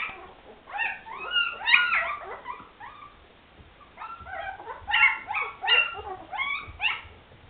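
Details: Several Afghan Hound puppies from the Szitár al Fidda kennel whimper and yip almost nonstop, high rising-and-falling squeals overlapping in two busy bursts.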